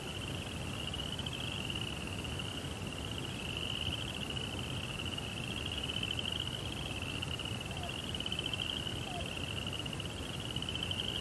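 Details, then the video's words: Night cricket chirping forms an unbroken, high, even trill with a rapid pulsing texture and slight swells in loudness, laid over constant low background noise. "Cricket Sounds"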